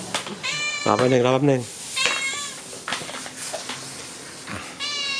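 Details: Stray cat begging for food it seeks daily, 12 May 2023: several short meows scattered through, one bright meow at the end, mixed with a man talking in Thai to the animal.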